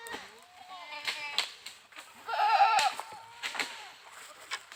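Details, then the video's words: Goat giving one strong, wavering bleat midway, surrounded by softer bleats, thumps and clicks. "Goats Funny Sounds"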